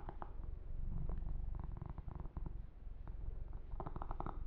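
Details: Purring kitten Yumak being massaged, a low pulsing rumble mixed with quick clicking, smacking handling noises, a busier cluster near the end.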